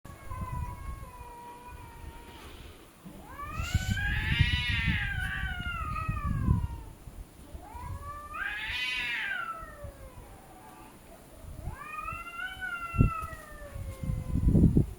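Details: Cats arguing with each other: loud drawn-out yowls rising and falling in long wavering arcs, three main bouts around four, nine and twelve seconds, with low thumping noise between calls.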